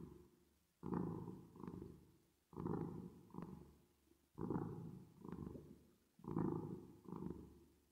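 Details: Cat purring, processed with reverb: four rounds of deep rumbling, each a strong burst then a softer echo-like pulse, spaced nearly two seconds apart over a quiet background.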